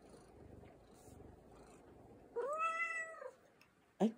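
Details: Affectionate American Shorthair cat held in arms in the morning gives one short arched meow that rises and falls, over soft room noise, with a woman talking softly before it.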